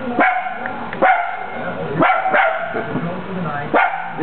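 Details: Male Italian Greyhound, a pet dog, barking at himself: five sharp, loud barks spread irregularly over about four seconds, with a woman talking softly between them.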